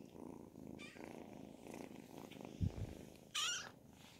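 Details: Purring from a group of Ragdoll kittens aged 10 and 12 weeks: a continuous soft low drone, broken by a short thump and then a quick high-pitched mew near the end.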